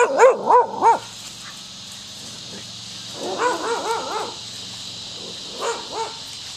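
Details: Rocky the Scottish Terrier playing and barking at the neighbour's dog; loud tonal, wavering barks in two quick clusters of three, then a softer pair, with cicadas buzzing in the trees behind.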